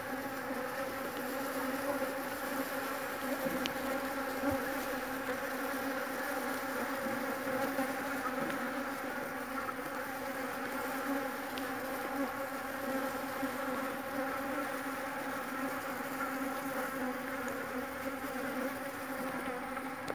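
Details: Continuous hum of Jandaíra stingless bees at a São Paulo home meliponary housing more than 30 hives; even, low droning buzz with stacked harmonic tones holding steady, occasional faint ticks over it.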